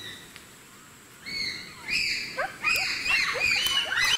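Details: Wild bonobos give alarm calls after meeting wild boars and rapidly climbing trees. A quiet start gives way to a burst of shrill, high squeaks and short rising-falling yelps from several animals, overlapping and repeated.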